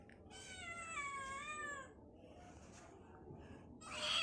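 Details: Pet kitten gives one clear, sustained meow that falls slightly in pitch, followed by quiet rustling and a brief higher squeak at the end.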